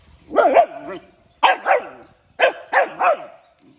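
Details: Morning barking from a puppy, delivered in three bursts of two or three high yapping barks each, evenly spaced about a second apart, with short falling whimper tails between.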